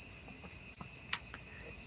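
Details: Crickets chirping loudly around a cabin during a live stream, heard but hard to see: a steady, high, shrill trill pulsing about five times a second, with a brief sharp click partway through.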